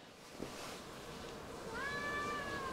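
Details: Chatty female Siamese cat responding to its owner's questioning indoors; after a quiet stretch with faint handling noise, a brief meow rises and holds steady before fading.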